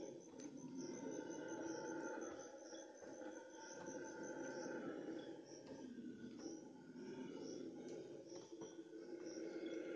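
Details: Red howler monkeys (Alouatta seniculus) howl at dawn in a deep, continuous roaring chorus, with insects pulsing high above.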